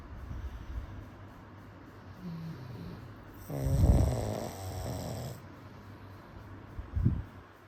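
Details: Sleeping pug snoring: soft low rumbling breaths, then one long, loud, rasping snore carrying a faint tonal whine, and a short sharp snort near the end.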